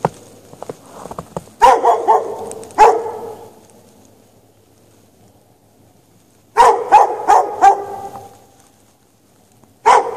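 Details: Chained dog left out in snow with no shelter on a March 2014 night, giving quick clustered barks, three or four in a row, then long silent gaps before another bark.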